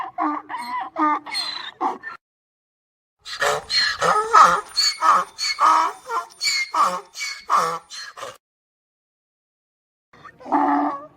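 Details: Braying donkey, heard in cut-together sections: a long central run of rasping, pulsing hee-haw notes about one and a half per second, with shorter harmonic bray fragments before and after silent gaps.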